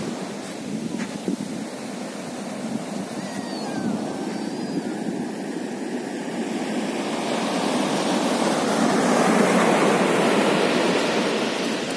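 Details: Steady surf and wind noise roar throughout, swelling louder toward the end. No animal voice can be picked out above the broad rush of water and air.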